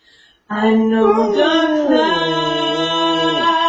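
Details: A Basset Hound, sitting on a recliner and singing along with his owner's singing, lets out a long, low, mournful howl that wavers and slides downward.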